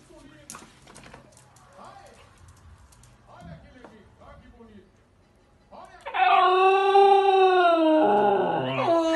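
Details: A 1-year-old male Corgi gives a loud, sustained, wavering howl, typical of him, after a few seconds of quiet talking.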